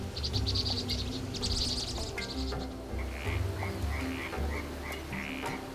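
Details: Frogs newly awakened in spring croak in quick pulsed bursts, several overlapping, over a steady low hum, at Ansim Wetland, an urban natural wetland in Dong-gu, Daegu, South Korea.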